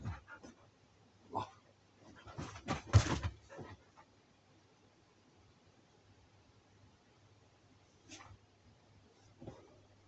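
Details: Siberian Husky in a 5 a.m. fight indoors: short, harsh broadband bursts cluster around the first four seconds, loudest near three seconds, then a quiet stretch with a few faint bursts later over a steady low hum.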